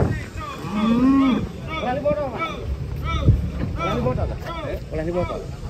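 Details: Lowing from cattle being unloaded off a truck in Indonesia, a rising-falling moo near one second, then overlapping human shouts and calls with a dull thud midway.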